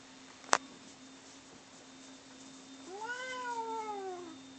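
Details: Domestic cats Bono and Mickey during a fight indoors; after a sharp click, one cat gives a single drawn-out meow rising then slowly falling, about a second and a half long, over a steady low hum.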